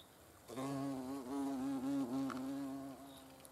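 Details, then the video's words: Hornet filmed in the Eifel: a loud, steady, low wing buzz that lasts about two and a half seconds and wavers slightly in pitch, with faint regular insect chirping in the background. "Hornissen vor der Kamera. Hornet observation"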